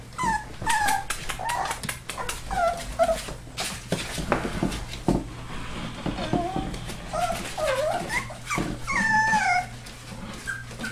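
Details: Whining four-week-old Labrador/Hound mix rescue pups give scattered high, bending cries among clatter and rustling handling noise, with a low hum throughout.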